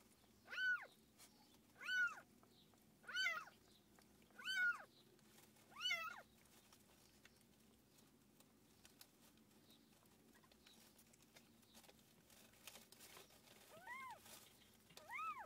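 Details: Mother cat with her kittens; five loud arched meows about every 1.3 seconds, each rising then falling, followed by a quiet pause and two fainter meows near the end.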